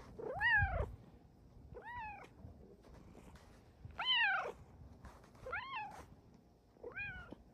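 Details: Domestic female cat giving a series of five short, arched meows at uneven intervals. Each call swells and falls with strong overtones against a faint background hum.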